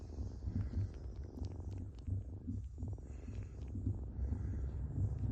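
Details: Baby kitten purring while kneading, a steady deep rumble that throbs in quick regular pulses the whole time, over a faint high-pitched background hiss.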